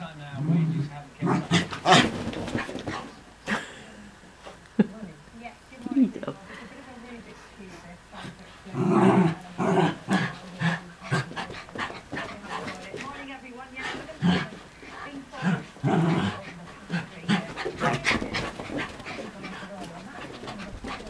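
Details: Two Miniature Schnauzers, an older dog and a new puppy brought home a week earlier, growl and yap in bursts while playing chase and tug in the early morning, with speech in the background.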